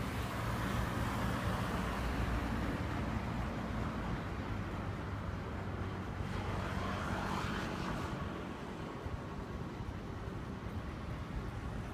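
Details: Roadway traffic rumble with passing vehicles dominates, and no animal call stands out.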